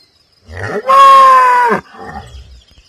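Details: A single cow moo on a farm, a loud, fairly high, rich harmonic call held steady for about a second, with soft low grunting sounds just before and after.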